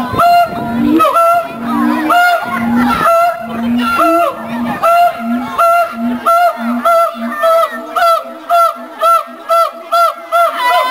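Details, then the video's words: A mated siamang pair (Symphalangus syndactylus) at the Columbus Zoo duets in loud honking barks and booms quickening into a steady run, a song that establishes territory and reinforces pair bonds. "Siamang Duet"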